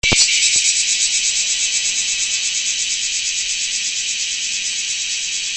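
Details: Large brown cicada (Graptopsaltria nigrofuscata), song.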